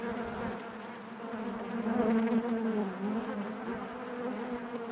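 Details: Honey bees buzzing inside their hive: a steady, dense drone with a strong hum around a low fundamental and stacked overtones, swelling slightly louder in the middle before settling back.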